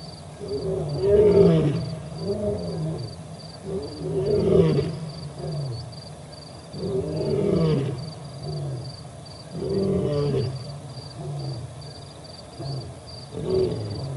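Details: Roaring sequence from a male lion at the Olifants River, 4 October 2020, another male also present; a long series of deep grunting roars repeated roughly every three seconds, fading and swelling, over a faint steady insect buzz.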